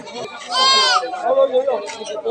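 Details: Local desi goat at a busy goat market, giving one loud, drawn-out, quavering bleat amid steady talk of people bargaining around it.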